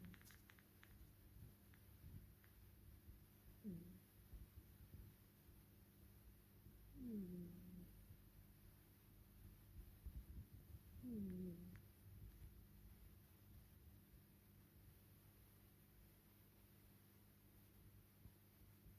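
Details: Olive, a tuxedo cat, snoring while napping indoors: three low, downward-sliding snores, each about a second long, arrive roughly every four seconds over a steady quiet room hum.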